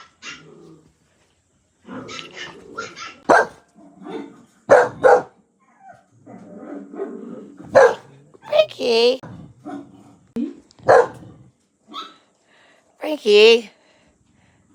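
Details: A pet dog barking at dogs on TV: sharp barks and a few drawn-out whining yelps in bursts, mixed with a person talking to it and television sound with some music.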